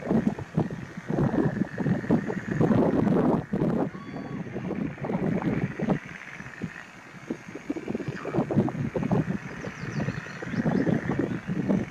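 Only gusty wind and rumbling handling or water noise are heard, with no clear animal call.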